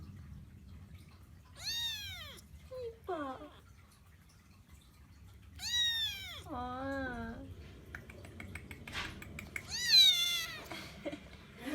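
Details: Young pet Persian Chinchilla kitten Kkung meows insistently: a run of loud, harmonically rich, downward-arching cries with shorter squeaky meows between them, spread over about ten seconds, with light handling noise.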